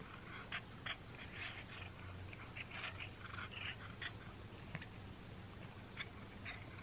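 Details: Domestic cat indoors eating a string treat for the first time; brief crackling, wet chewing clicks and bursts scattered through the clip, over a steady low hum.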